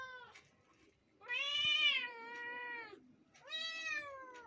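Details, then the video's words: A pair of kittens meowing, one long drawn-out meow that holds steady then drops, followed by a shorter bright meow, with quiet background between. "two kittens is mixing their voices meow meow"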